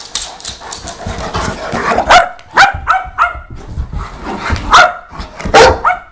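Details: Saint Bernard barking in quick bursts, sharp clipped barks with a bright tonal ring, some close together and others separated by short pauses, with low rustling between them.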